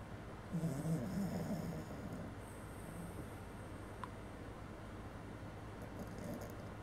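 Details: Maggie, a little Maltese, snoring while asleep in a bed she shares with a Bichon; low, rasping snore pulses of about a second, then quieter breathing, with faint rustling in a small room.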